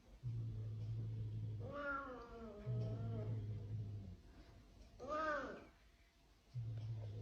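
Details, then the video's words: Cat giving a long, wavering, drawn-out meow with rich harmonics, then a shorter rising-and-falling meow about a second later; a steady low hum runs underneath and laughter follows. "Cats Life Activities 🐈🐈 Funny Cats 2024"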